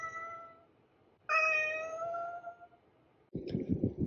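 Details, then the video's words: Domestic cat giving a short steady meow followed by a longer, louder drawn-out meow with a slight rise, then a burst of rough rustling noise at the end. "Cat Meowing"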